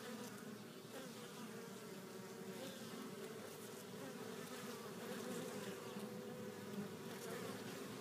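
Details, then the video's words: Constant hum of many honey bees returning to their hive carrying pollen of at least four colors; layered droning buzz that swells slightly toward the end, with soft clicks of bees landing. "Bees Returning With Pollen"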